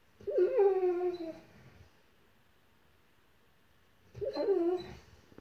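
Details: Dreaming dog howling while asleep, giving two short, tonal, whining howls that waver and then slide downward, the first about one and a half seconds long, the second about a second, separated by roughly three seconds of quiet.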